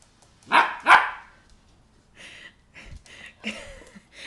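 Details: Female 10-week-old German Shepherd puppy indoors on a slippery wood floor during sit and down commands gives two short, sharp yappy barks in quick succession, followed by a person's quieter spoken commands.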